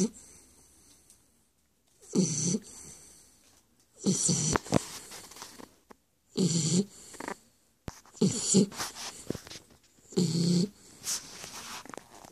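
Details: A sleeping Shar Pei snores: loud, raspy, throaty breaths about every two seconds, each a noisy burst with a low growling undertone and airy hiss, with short silences between them.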